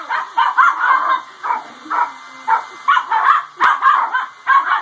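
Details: Dogs barking in reaction to a hair dryer: short, harsh, yelping barks in separate bursts, roughly one or two each second, over the steady high whine of the running dryer.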